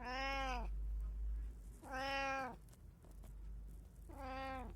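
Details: Domestic cat, one of three household cats, giving three drawn-out, even meows roughly every two seconds over a low steady hum.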